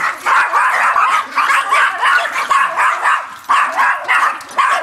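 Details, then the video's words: Several Yorkshire terriers confronting a raccoon, a dense overlapping chorus of high, rapid yapping barks with no clear gaps, the pitch staying high and sharp throughout. "Yorkshire terriers vs raccoon and themselves."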